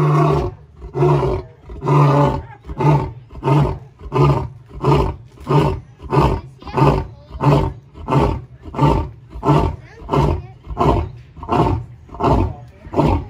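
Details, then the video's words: Caged male lion separated from its females at the Indianapolis Zoo gives a sequence of low grunting roars, about fifteen pulses spaced under a second apart, loud and steady with slightly rising and falling strength. "Lion Roaring at the Indianapolis Zoo"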